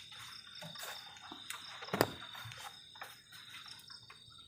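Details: Crickets on a cold night beside a garden shelter at the forest edge, a steady high ringing trill running throughout, broken by a sharp knock near the middle and soft rustling of camp activity.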